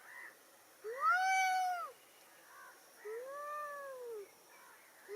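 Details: Angry cat meowing: one loud strained wail followed by a softer, lower drawn-out meow and faint shorter cries, over a noticeable background hiss.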